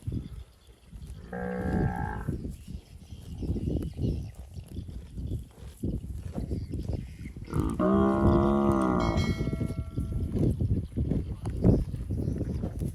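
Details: Fat cattle eating grass in the undergrowth, two moos about six seconds apart, the later one longer and wavering, amid constant crunching of grass and faint ringing tones.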